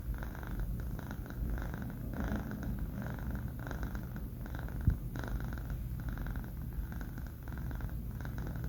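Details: Banh Mi, a four-month-old male pet cat, snores while asleep indoors. A steady low rumble runs throughout, with a breathy rasp swelling and fading about every half second. One short knock falls near the middle.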